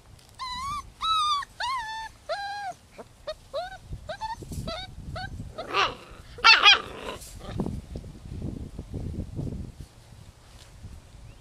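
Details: A six-week-old puppy from Holly's rescue litter of six boys and four girls gives a quick string of high, bending whimpers, then breathy yelps and rustling noises as the crying fades.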